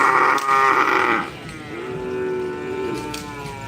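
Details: Cattle at a karapan sapi bull race at the Asemanis field in Pamekasan, Madura, East Java, Indonesia: a loud, harmonic, rising moo for about a second, then a lower, drawn-out tonal bellow, over crowd murmur.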